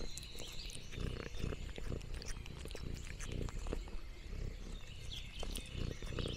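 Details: Purring from Lexi the orange tabby cat during a rural farm outing. Low throbbing purrs come in waves, mixed with sharp crackling of leaves and munching noises.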